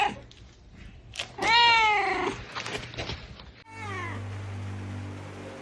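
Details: Kittens meowing: one strong, wavering meow with a second, weaker call amid clattering handling sounds, then a steady low hum and hiss.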